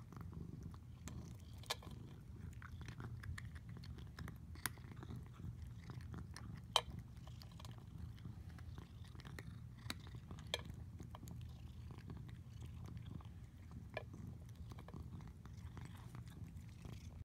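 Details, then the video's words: Domestic cat named Squishy purrs contentedly as he eats, a continuous deep rumbling hum overlaid with sharp crunching and chewing clicks, indoors in a small room. "The Sounds of an Incredibly Satisfied Cat"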